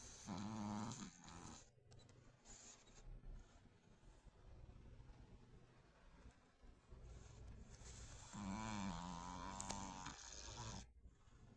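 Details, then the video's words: Chihuahua snoring loudly while asleep: two drawn-out, tonal, wheezy snores, one at the start and another about eight seconds later, separated by quiet, low, rumbling breathing in a small room. "Гучин храп)#чихуахуа"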